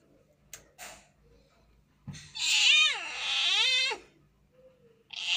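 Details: Domestic cat giving a drawn-out, wavering meow of about two seconds with a rising then falling pitch, preceded by faint clicks and followed by the start of another cry in a quiet room.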